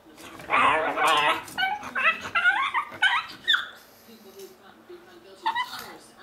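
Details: Pug voicing chattering, monkey-like noises: a burst of warbling, bending yelps and grumbles for about three seconds, a pause, then one more short high call near the end, with a low room hum.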